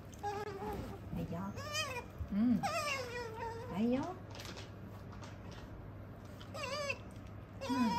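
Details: Female pet otter chattering continuously in its 'nyamu-nyamu' talk while eating. Bright, harmonic chirps bend up and down in pitch, coming in short bursts with gaps. Lower murmuring sounds and faint background hum are also heard.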